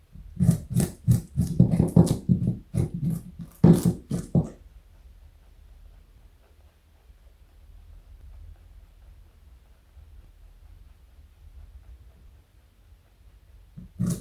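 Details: A male pet rabbit weighing 4.6 kg and over 60 cm long crunches on carrot in quick, irregular bites for a few seconds, then falls quiet.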